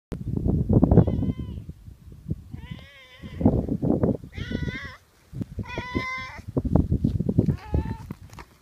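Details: A pet cat that wants its owner to keep stroking it gives five drawn-out, wavering meows in a sweet, coaxing voice. Thumping and rustling noises from the petting come between the calls.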